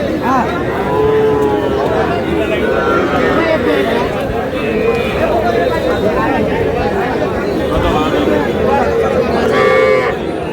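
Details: Cattle, small bull and heifer calves bought by a Noakhali farmer in Bangladesh on 21 July; low, drawn-out moos surface now and then beneath continuous crowd chatter and men's voices haggling nearby.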